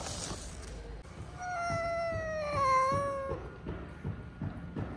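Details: Hungry, sick cat wanting love gives one long, steady meow that dips slightly before cutting off, followed by soft rhythmic thumping and rustling sounds.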